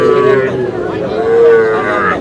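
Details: Young bull calves for sale at a Kushtia cattle market in Bangladesh, 23 June: a short moo followed by a longer, steady, even-pitched moo, with buyers and sellers talking throughout.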